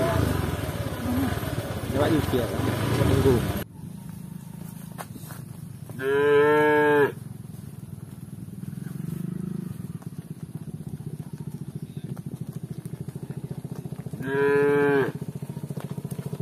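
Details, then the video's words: Village cows walking together with shepherds; two drawn-out, rich harmonic moos, each about a second long, come roughly eight seconds apart over a steady low rumble, with a loud engine-like roar in the first few seconds. "Cow Sound"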